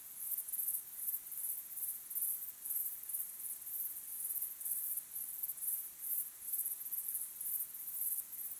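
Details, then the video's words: Crickets chirping in the evening at sunset, rapid high-pitched pulses in a continuous shimmering chorus, regular beats a little under twice a second. "Calm, beautiful sunset sky with crickets chirping sound"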